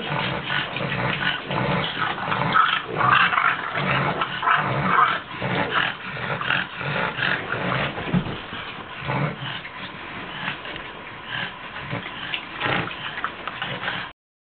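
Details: A pair of foster French Bulldogs wrestling in play give gruff growls, snuffles and snorts in uneven bursts roughly twice a second. The sounds fade a little toward the end, mixed with rustling from their scuffle.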